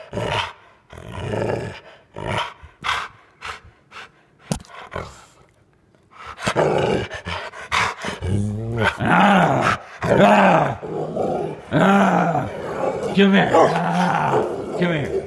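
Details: A female Rottweiler, battling cancer for over a year, gives deep, rumbling play growls in uneven bursts while play-attacking on command, as a person talks to it and tells her to drop her toy.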